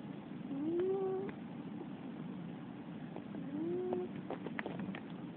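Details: Female Russian Blue cat snoring while asleep at night indoors: two whistling snores, each a thin tone rising then levelling off, about three seconds apart, with soft breathy rasp beneath and a steady background hiss.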